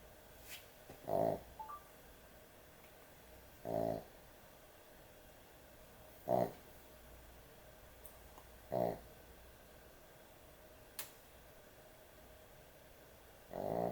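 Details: Excessive snoring of a dog sleeping at bedtime, short gruff snores repeated about every two and a half seconds, softer and briefer than usual, with faint clicks and a quiet indoor background.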